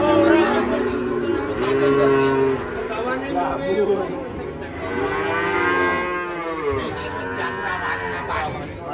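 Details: Cattle rampaging, falling into a ditch after being unloaded from a truck. Low harmonic moos open the recording and are followed by louder overlapping speech from several men, with the lowing continuing beneath their voices.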